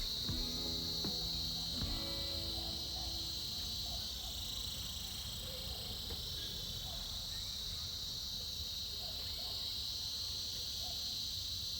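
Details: Winter chorus of cicadas: a steady, shrill, unbroken buzz that fills all twelve seconds, with brief tonal plucked notes in the first two seconds and faint low rumble beneath.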